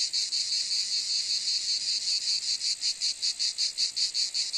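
A cicada's high, dry buzz runs on without a break, throbbing in quick regular pulses.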